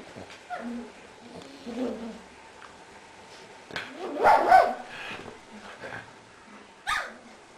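A Cavalier King Charles Spaniel gives a few sharp, yappy barks between quieter whines.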